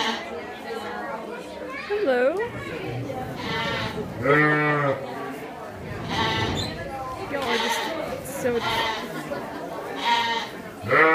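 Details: A herd of rowdy Cashmere goats at Shepard's Harvest 2016 keeps bleating: about eight loud, quavering, harmonic cries, some rising and falling in pitch, overlapping one another, with people talking throughout.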